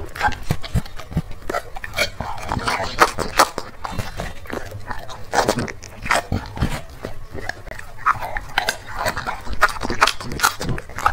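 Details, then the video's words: Close-up crunching as a black dog eats chicken and vegetable food, irregular bursts of biting and lip-smacking over eleven seconds, a low murmur of speech faintly behind. "dog food eating asmr | eating 3 plate"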